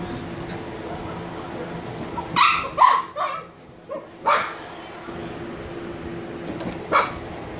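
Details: Sleepy Shiba Inu puppies Niro and Kyno, 86 days old, let out a few scattered high yelping barks: two close together, then single sharp yips separated by quiet gaps, with a low background hum.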